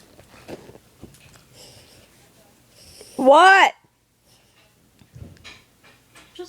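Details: Pomeranian and Welsh Corgi mix dog indoors giving a single loud, half-second arched yowl that rises then falls, amid an otherwise quiet room with faint speech and small thumps.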